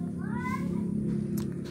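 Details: Domestic cat meowing while eating food its owner likes; one harmonic meow with rising then falling pitch, lasting about half a second, over a low steady hum and background music.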